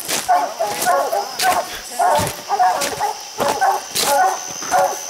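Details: Hounds bark at the tree where raccoons sit far up a steep hillside bluff; repeated harsh barks about every half second from more than one dog, with sharp rustling and a man's voice between.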